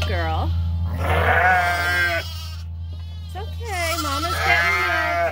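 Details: Lambs screaming at morning chores while their mothers, the ewes, are being milked: several loud, wavering bleats that bend downward, each lasting about a second, separated by short pauses, over steady background music.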